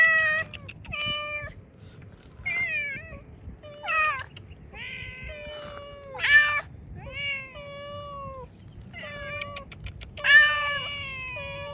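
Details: Hungry cat outside among cats eating cut fish, meowing repeatedly: short rising-then-falling meows and longer flat wails, roughly every second or two, with occasional sharper, louder cries over quiet low background noise.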